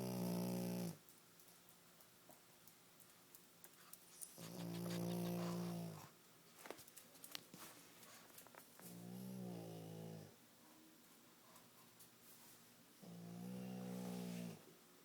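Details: Pug snoring loudly indoors: four long, harmonic snore bursts of about a second each, low and rasping, spaced roughly four seconds apart, with quiet breathing and faint rustling between them.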